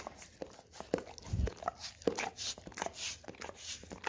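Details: Golden Retriever indoors licking a peanut-butter-coated tongue-cleaning brush, a one-hour looped recording; wet smacking and scraping clicks come in quick irregular bursts, with a soft lower thump near the middle.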